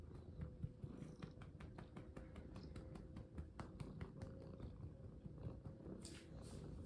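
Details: Domestic cat purring during play, a steady low rumbling throb with scattered clicks and light handling taps, quiet indoor setting.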